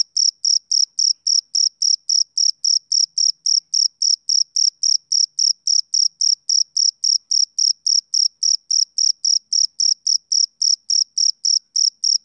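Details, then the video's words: Male cricket giving a continuous run of short, shrill chirps, roughly three and a half per second, very regular and clean with no other sound present. "Cricket Chirping Sound Effect"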